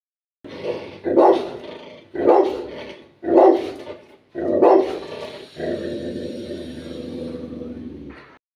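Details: A Rottweiler aggressively barks at a water supplier with four deep, booming barks about a second apart, then a long rough droning sound.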